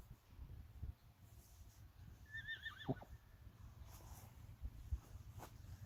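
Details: Friesian horses in a herd with mares and young foals, outdoors; a single whinny with a wavering, descending tremolo lasting about a second, soft thuds and rustling around it, faint human sounds in the background.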